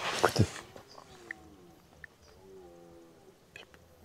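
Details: Red deer stags bellow in the rut from all directions on 17 September 2025, in fine weather at the hamlet of Les Tourets, Châteauneuf-d'Entraunes, French mountains. Low, moaning roars swell and fade, and the deep calls carry across the quiet after a brief burst of close sound.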